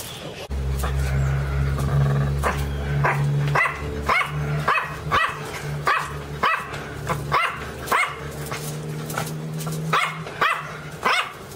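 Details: Pinscher called Teco barking loudly and repeatedly in short, high yaps over a steady low mechanical hum, the barks coming in a fairly even chain.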